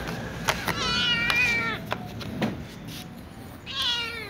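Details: Domestic cats, a little ginger one and a young white one, meowing for food; two drawn-out, strongly harmonic meows, the first long and level, the second rising then falling, amid soft clicks.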